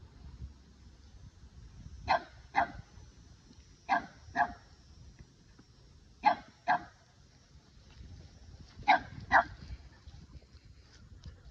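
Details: Offended Boston Terrier protesting at a Keeshond over a taken favorite ball, delivering eight clipped barks in quick pairs, each pair separated by roughly two seconds of quiet room noise.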